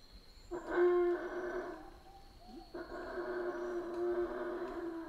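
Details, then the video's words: Howler monkeys in Central American rainforest, calling in two long harmonic howling bouts, the second sustained for about two seconds, with a faint steady high insect-like tone behind. "Rainforest Howler Monkeys Sounds"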